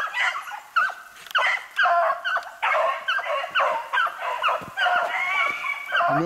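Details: Beagle pack hot on a snowshoe hare in pouring rain, 8 March 2016, Spade leading; sharp, urgent bays and yelps crowd together in bursts, several dogs giving tongue at once.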